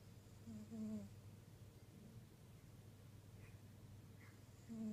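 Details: Pet tabby cat, one of two named Koda and Chloe, purring indoors: a low, steady, pulsing rumble that swells louder near the start and again at the end, with brief tonal hum-like notes around the first and fifth seconds.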